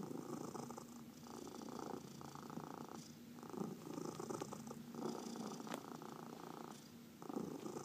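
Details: A massaged house cat purrs in rhythmic rumbling bursts separated by brief dips at each breath, joined by a few small clicks and touches of handling.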